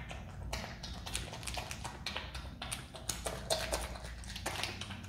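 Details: Pet Himalayan marmot kept indoors in its own room, eating pineapple: irregular wet crunching and sharp clicking bites, several per second with short pauses between, in a quiet small room.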